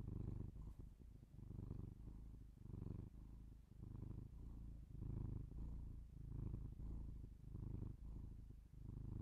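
A domestic cat purrs steadily, a low rumbling throb that swells and fades with each breath.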